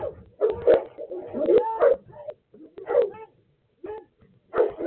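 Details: Three Boerboels alongside two other dogs, provoked by the household dogs, bark in a rough, agitated exchange: bursts of loud overlapping barks and yips, pausing briefly, then resuming.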